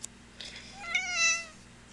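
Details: A female Ragdoll cat dressed in a pirate outfit, seemingly trying to talk, gives a single clear, tonal meow that rises slightly and then drops away.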